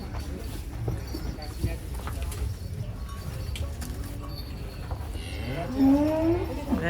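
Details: Giant bull named Raja, stepping down from a truck at a cattle contest, lets out a single loud moo that rises in pitch near the end, over a steady low rumble of engines and background chatter.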